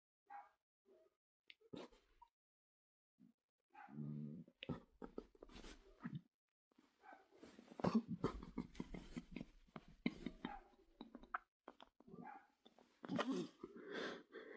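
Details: Dog vocalising indoors: short scattered yelps and whimpers, a low harmonic whine near four seconds, then a denser run of sharp barks and yips through the second half.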